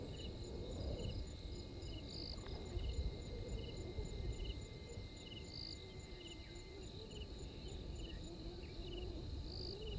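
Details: Insect chorus at the Gowrie dam waterhole, Djuma Game Reserve, Sabi Sand Wildtuin, South Africa, 03:44, 12/04/21: a rapid, steady stream of high pulsed chirps over a continuous shrill tone, with a wavering low hum and rumble underneath.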